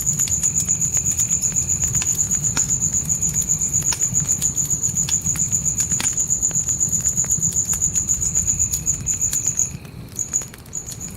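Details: Crickets calling at night in a dark forest: a steady, high, rapidly pulsed trill that runs almost unbroken, then briefly falters near the end. A campfire crackles and snaps throughout, with a low rumble of fire underneath.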